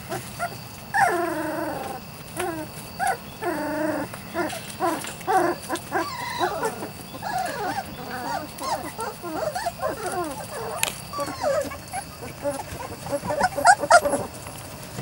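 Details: Weimaraner x Vizsla litter of Biscuit, 3-4 weeks old: rapid, rhythmic wavering whimpers, about four per second, several pups crying together, ending in a few sharp squeaks and clatters.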